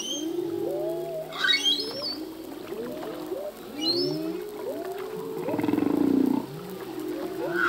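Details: Male humpback whale singing at sea, its song changing each year as new phrases are learned: sliding moans and wavering low tones layered beneath brief high squeals and upsweeping whistles, with a louder pulsed groan near the end.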